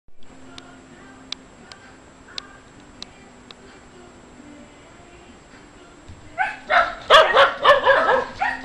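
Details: Shetland Sheepdogs barking at someone at the door to scare the intruder away: a quiet room with faint clicks, then a burst of rapid, sharp, high barks over the last two and a half seconds, with a steady low hum.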